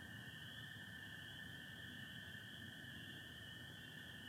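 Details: Night chorus of spring peepers joined by American toads, Michigan, 24 April 2025 under stars and partial cloud: continuous shrill peeping forms a high steady tone while a lower even trill runs throughout.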